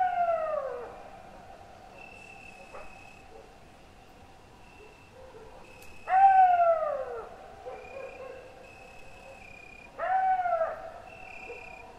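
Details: Gray wolf (Canis lupus) howls come as short, tonal glides that slide downward and fade, repeating every few seconds.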